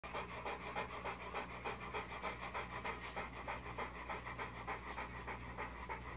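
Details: Bulldog pup after being spiked by a porcupine; rapid rhythmic panting, about three breaths per second, steady and even, over a constant low mechanical hum.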